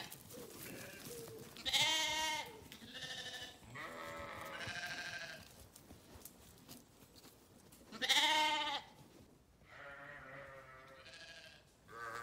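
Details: Several sheep bleats, short quavering calls with strong bright harmonics, two of them louder and spaced about six seconds apart, quieter bleats in between over a faint hiss.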